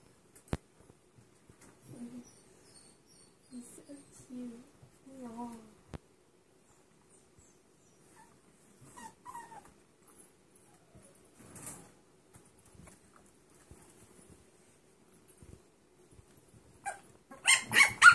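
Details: Six-week-old mixed breed puppies, a Dachshund, Chihuahua and Pug mix litter: short, soft, high whimpers and squeaks in scattered bursts with quiet gaps between, then a louder cluster of sharp yips and rustling at the end.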